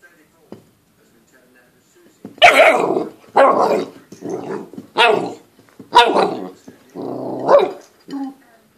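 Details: A 9-week-old Golden Retriever puppy named Toby, playing with a plate it dislikes; after two quiet seconds come six loud, harsh, broadband puppy barks and growly yaps, roughly one per second.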